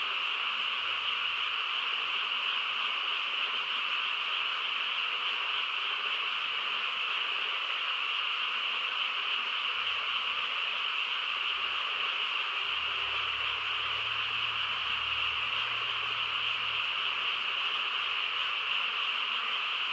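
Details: Countryside frog chorus at night: countless voices merge into a continuous, even whirring drone with no pauses, and a faint low hum appears in the background during the second half.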